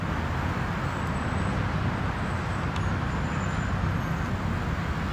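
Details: Steady roar of road traffic outdoors in an urban setting, with low rumbling vehicles throughout.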